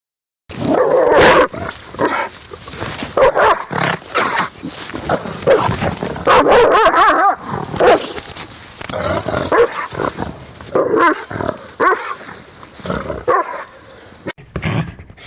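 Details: Rottweiler dog barking aggressively: dense, continuous run of harsh, overlapping barks and growly bursts with almost no pauses, loud throughout, possibly several dogs together.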